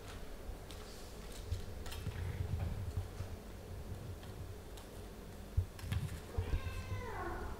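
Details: Ophelia the mother cat and her kittens Pixel, Garfield, Bianca and Caramel playing and gnawing on slippers: soft bumps and taps of play, then near the end a short meow that falls in pitch.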